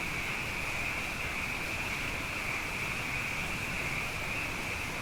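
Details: A nighttime frog chorus after two wet years, with frogs abundant: one continuous high trilling wash, even in loudness from start to finish, with no other clear sounds.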